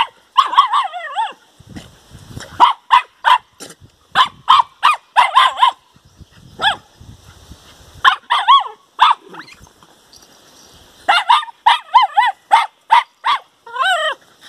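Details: Four-week-old puppies outdoors barking at a tree, repeated high, slightly wavering yaps in rapid runs of three to six, pausing briefly between bursts, with faint rustling in the gaps.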